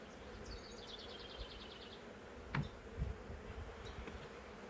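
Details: Huge honey bee swarm from a woodland wild hive, caught in a swarm trap and being moved frame by frame: continuous low humming drone, a quick high-pitched bird trill early, and a few knocks of handling.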